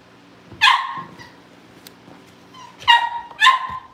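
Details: Cavalier King Charles Spaniel puppies at home awaiting family pick-ups give three short, high yelping barks: one at the start, then a pair close together near the end, with quiet pauses between.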